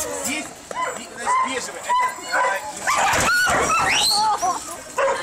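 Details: Siberian Huskies kept at a kennel, heard during a group excursion on 25 November 2012: short rising and falling whines and yelps, several bending sharply upward, with people's voices between them.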